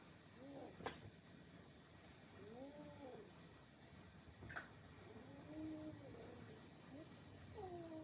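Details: Domestic cat yowling during a fight between a little kitten and its adult brothers: drawn-out wavering wails that rise and fall, in separate bursts every second or two, over steady rumbling background noise and sharp clicks.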